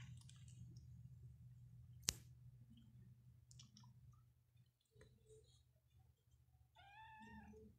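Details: Persian cat in a cattery indoors in Pakistan gives a short rising meow near the end, after scattered clicks, rustling and a sharp knock, over a steady low hum.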